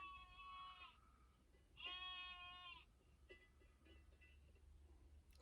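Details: A sheep outside a van near the Rastoke waterfalls, Croatia, at 7 a.m. on a Saturday gives two wavering, nasal bleats, each about a second long, with fainter calls following.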